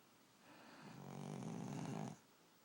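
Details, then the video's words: Sleeping dog snoring loudly indoors: one long, rough, low rumbling snore swelling for over a second and then stopping abruptly, with quiet room tone on either side. "Dog Snoring"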